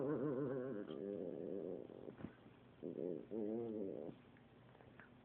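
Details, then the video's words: Pet dog making funny noises while playing: wavering, yodel-like moaning vocalizations with quivering pitch, in a long two-second stretch, then a shorter warbling burst after a pause. Faint background noise. "My dog makes funny noises"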